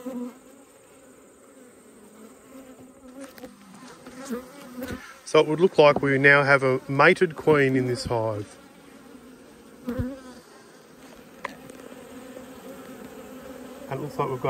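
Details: Honey bees during an autumn hive inspection in an Australian apiary, at a colony that has swarmed and raised a new queen: a steady low droning hum holds throughout, broken midway by a few seconds of loud voice and handling noise.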